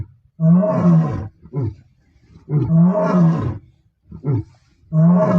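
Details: Several male lions of the Bila Shaka Boys coalition roar in deep, powerful bursts, each long moan followed by shorter grunting calls, not far from road R5; lion roar.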